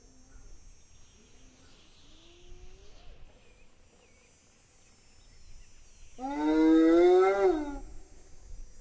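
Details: A spotted hyena (Crocuta crocuta) in the savannah gives a loud, drawn-out call that rises in pitch, after faint softer rising calls.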